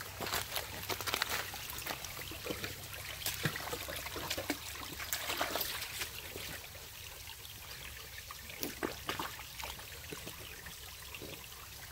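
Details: Night hike along a river valley: trickling water and crunching steps or brushing vegetation, with no clear animal call.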